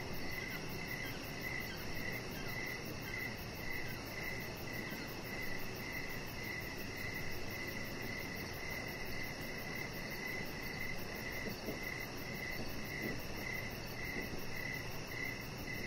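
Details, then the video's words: Crickets chirping outdoors in the evening beside a deck: a steady, high, thin trill broken into short bursts roughly every half second, continuing throughout over a constant low rumbling background hiss. "Chihuahua Puppy Laying On Deck with Cricket Sounds"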